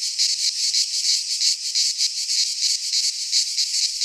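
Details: Cicadas singing in midsummer in a Greek pine forest: a loud, dense, high buzzing chorus with rhythmic pulsing swells about every quarter second, steady throughout, no other sounds.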